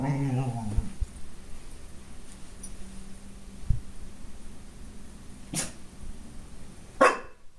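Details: Shadow, a Golden Retriever puppy indoors, reacting to his own reflection in a glass door: a low, drawn-out growl at the start, then quieter rumbling, with two sharp bark-like bursts near the end.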